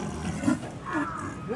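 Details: Snow leopards at Maruyama Zoo, a five-year-old father and a one-year-old male, calling at each other through the cage bars, filmed 30 August 2010; short rough low bursts of calling amid crowd chatter and background noise.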